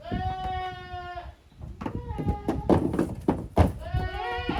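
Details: At a handmade goat farm in Japan, kids from two litters romp together in teams, 13 June 2023. One long, tremulous bleat opens, followed by thuds and clatter, then another bleat begins near the end.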